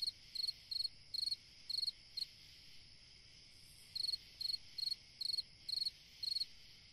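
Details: A summer-night cricket chirps in quick trills of a few pulses each, about two per second, falling silent for nearly two seconds before resuming; a thin continuous high tone runs underneath.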